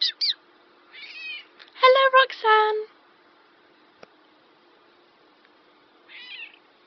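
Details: Black domestic cat, described as talking, answers an owner indoors with a run of short harmonic meows and chirps around two seconds in, then a softer meow near the end, between people's spoken words.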